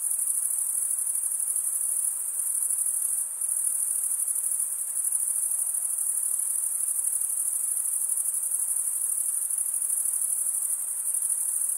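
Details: Crickets chirping by stridulation, males scraping one wing across the comb-like teeth of the other, forming an unbroken shrill trill at high pitch, constant in loudness, with a faint softer hiss beneath.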